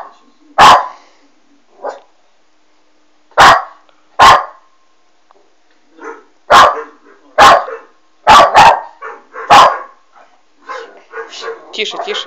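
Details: Alma, a West Highland White Terrier puppy, barks at a Doberman shown on a screen: about nine sharp, loud barks at irregular gaps, some in quick pairs, followed by softer whining or voice-like sounds at the end.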